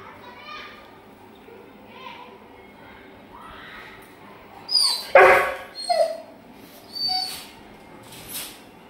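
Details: Male Rottweiler, happy and excited, greets his owner coming home from work: soft whimpers early, then a cluster of high, harmonic whines and yelps in quick bursts midway, with a person's voice calling to him.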